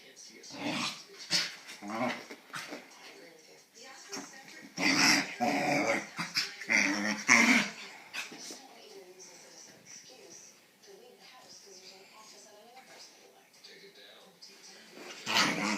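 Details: A corgi/bulldog mix makes varied grumbling, whining and growly noises after a bath, with human speech mixed in.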